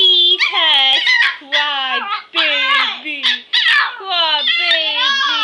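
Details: Five Pomeranian puppies playing together indoors on a floor; high, squealing yips and whines in quick overlapping bursts, many sliding downward in pitch, with short pauses between flurries.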